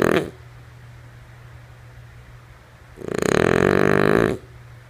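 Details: Female French Bulldog Lulu asleep: the tail of one snore, a long quiet gap, then a full fluttering, nasal rasp lasting over a second, pulsing rapidly, with a soft steady hum underneath.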